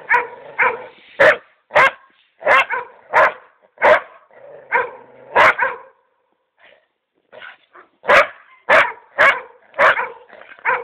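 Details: A female dog, shown a mouflon head with its hide before taxidermy, gives rapid, steady barks with whiny undertones, about one and a half per second, falls quiet briefly, then resumes a fast barking run.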